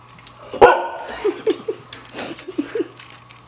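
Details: White Siberian Husky, female, playing hide and seek indoors, calls out to let her owner know she has found them: one sharp bark followed by a series of short, yippy whines and vocalizations, with a person praising her afterwards.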